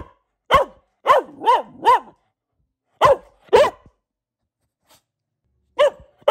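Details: Boxer dog, female, barking at home in short groups: one bark, a rapid trio of arched yelping barks, then a pair and two more after a pause, each sweeping up and down in pitch.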